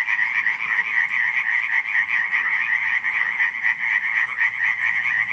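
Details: Many frogs croaking at night in Radziszów, July 2015, their calls fused into a loud, constant rattling chorus with rapid pulses and faint low hum near the end.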